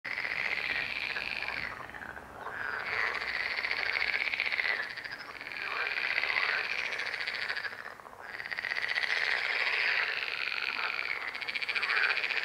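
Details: Frog chorus: a dense, rattling, high-pitched din of many overlapping trilling calls that swells and briefly thins twice, near two and eight seconds, then builds again.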